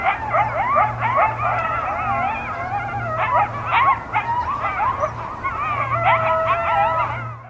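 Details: A pack of coyotes in a frozen New Hampshire field in cold winter howls together in a wavering chorus of overlapping yips, wails and quavering siren-like notes.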